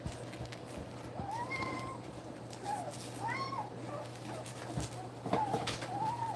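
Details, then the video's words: Two-week-old puppies nursing utter thin, arching whimpers that rise and fall, several scattered across a few seconds, some overlapping, over a steady low electrical hum. "2 week old puppies nursing"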